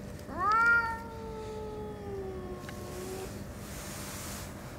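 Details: Single loud, long meow from Chatora No. 2, an elusive orange tabby and one of two tabby brothers, reappearing after half a month: a bright rising onset that fades into a sustained, gradually lowering tone lasting nearly three seconds, then quiet room noise.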